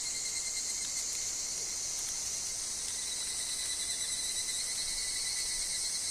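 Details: In woodland, higurashi cicadas keep up a constant high, rasping chorus over a sustained thin tone, with faint soft rustles and ticks like falling leaves.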